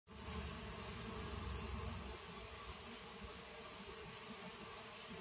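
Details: Honey bees at a mini top-bar hive, a dense steady buzzing hum of many bees, low and continuous, slightly louder in the first two seconds.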